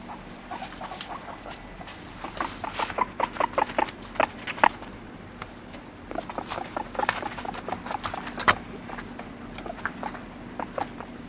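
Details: Pet guinea pig uttering rapid strings of short clipped notes with tonal squeak peaks, in two main bursts separated by a brief lull, alongside faint tapping and a steady low hum.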